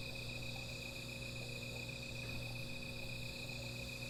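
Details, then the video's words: Night insects in a continuous chorus near a small fire, a steady high ringing tone that never pauses, over a low, even background hum. "Sound of Insects"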